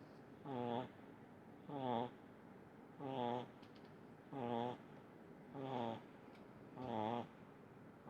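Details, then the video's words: Small pug snoring in deep sleep indoors: six even snores, each a short buzzy harmonic rasp on the in-breath, repeated about every 1.2 seconds with quiet pauses between. "Видео как храпит маленький мопсик"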